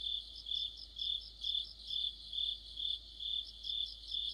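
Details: Autumn cricket orchestra near a streetlamp, bright high trilling that surges and dips roughly twice each second, layered voices of several insects.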